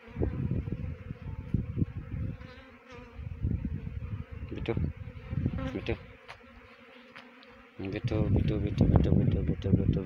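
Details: Swarming honey bees during a trapping effort in Uttarakhand, Dehradun district: a dense, continuous drone of wingbeats under loud bursts of low thumping and rustling, heaviest in the final seconds.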